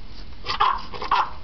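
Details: Pet dog wanting to go outside, attacking the door; two sharp barks about half a second apart, with a man's voice nearby.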